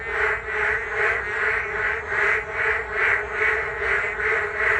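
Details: Rainy-day frog chorus at a riverside path along the Geum River, croaks massed into regular throbbing bursts roughly every half second over a constant hum of other callers.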